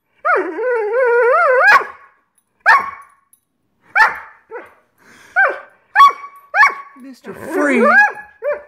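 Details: Frustrated over dinner not yet served, Greyhound Scott Free opens with a long wobbling whine, then a rapid run of short sharp yelps and yips, ending in tangled whining barks.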